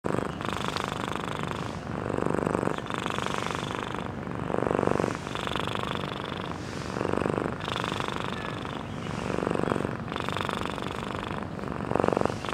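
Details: Domestic cat sleeping, recorded close up, snoring fairly loudly: rough, breathy rasping snores repeat about every two and a half seconds, each breath swelling and fading in a steady rhythm, with quiet indoor background.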